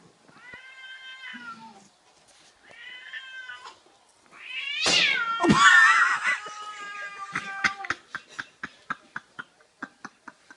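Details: A house cat attacks a cat-shaped balloon that a man moves around indoors. Two short, rising-falling meows are followed by a loud harsh hissing yowl, then a run of sharp regular scratching clicks.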